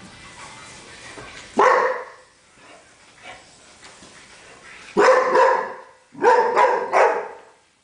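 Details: Pet dog that has been frightened of a broom since puppyhood, barking in alarm: one loud harsh bark, a pause with faint sounds, then a bark and a double burst of barks close together.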